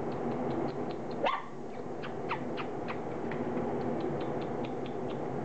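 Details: Standard Poodle puppies close to four weeks old at their first meal of mashed puppy food, making short high squeaks and one brief rising whine, all over a loud, steady humming background noise.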